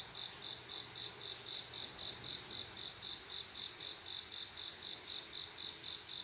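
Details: Summer-night cricket, a male calling a female to mate: clear high-pitched pulses repeating roughly four times per second in a regular chain, faint low hum underneath.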